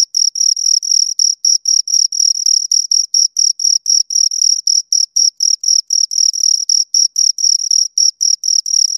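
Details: High-pitched rhythmic chirping of two crickets by stridulation, a long even run of rapid pulses about four per second, occasionally doubled, steady in loudness throughout, with no background noise.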